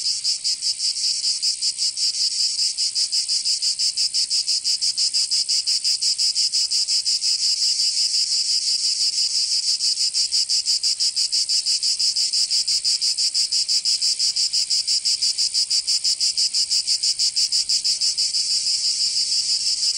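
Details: Summer chorus of cicadas in Provence, southern France: an intense, high, rasping drone of fast regular pulses that holds at an even loudness from start to finish.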